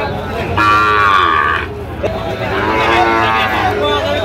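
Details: At Ambari haat, a cattle market in Dinajpur, Bangladesh, on 3 October 2025, where Sahiwal bull calves are traded. Two loud bellowing moos are heard, the first steady and strong, the second longer and falling, while traders bargain in the background.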